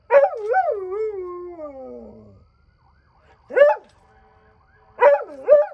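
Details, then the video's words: Birda the dog howling at night: a long wavering howl that sinks gradually for about two seconds, followed after a pause by short falling, yodel-like howls, one of them doubled. "Birda the Dog Doing Some Night Howling."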